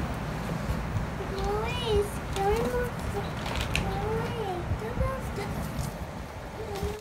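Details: Three-week-old Pomeranian puppies, dated 08-11-21, giving a run of arched, squealing whines that swoop up and then down, one after another with brief gaps, above a constant low rumble.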